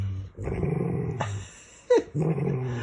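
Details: A dog playing games with its owner makes low, rumbling, growl-like grumbles with a brief higher yelp in between.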